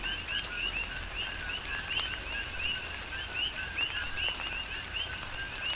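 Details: Coqui frogs calling during a tropical rain shower on the Big Island of Hawaii: rapid two-part notes, a lower tone then a higher upswept chirp, repeated by several overlapping frogs over steady rain patter and dripping.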